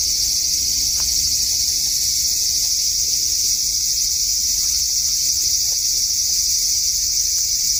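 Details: Cicada singing in a front-garden cherry tree on a hot August 2012 evening: an unbroken, hissing high-pitched drone at constant loudness, with faint soft clicks and low rumble beneath.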